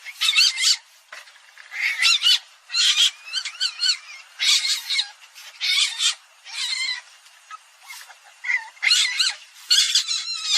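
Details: Palm civet: loud, repeated raspy squawks with bending, wavering squeal tones inside them, coming in steady bursts about every second through the whole stretch.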